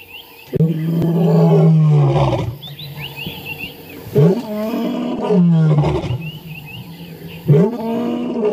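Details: Male lion named Tinyo roaring at sunrise on January 15, 2017: deep, powerful moaning roars with strong harmonics, three long bouts separated by short grunting breaths, with faint high bird chirps in the background.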